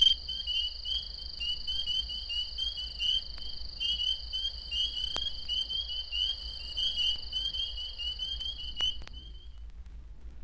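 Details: In Florida, a dense Spring Peeper chorus of high, piping peeps blends into a steady shrill ring, with occasional rapid trill notes indicating mating activity; the species calls in winter and early spring.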